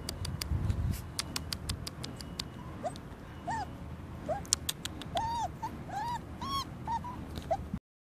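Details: Puppies out in the garden for the first time give high, whining yelps, each rising and falling in a short arc, repeated irregularly over the second half, with sharp ticking clicks in the background.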